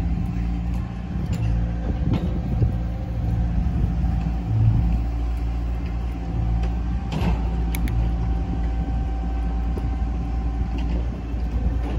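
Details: Steady low rumble of vehicle engines and traffic, with no animal voices heard. A few faint mechanical clicks and knocks sit over the constant hum.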